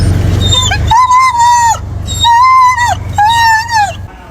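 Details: An excited retriever dog gives three long, high, wavering screams, each arching up and sliding down at the end, amid human shouting and laughter.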